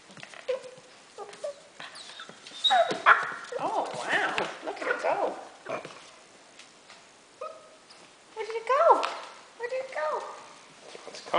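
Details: A 7-week-old Labrador Retriever puppy indoors gives short high whimpers and yips in brief bursts, with a person talking over them and occasional thumps and handling noises.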